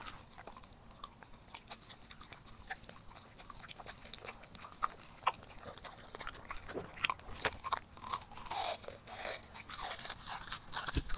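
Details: Four-year-old Pembroke Welsh Corgi eating a summer raw meal of duck breast, ostrich, goat heart, duck liver, frog leg, sardine and mantis shrimp, with the sea wind; quiet crunching and sharp biting clicks, growing louder and denser toward the end.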